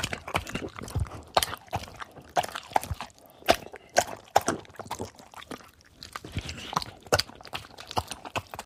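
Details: Dog eating and drinking water: irregular crunchy chewing clicks and wet lapping bursts, sharp broadband snaps every fraction of a second with short quiet gaps, no other clear sounds.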